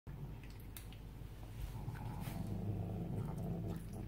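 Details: Female house cat indoors, crouched in a corner eating a hunk of potato salad she pulled from the fridge, giving a steady low rumbling growl with a ragged buzzy texture that swells slightly louder in the second half.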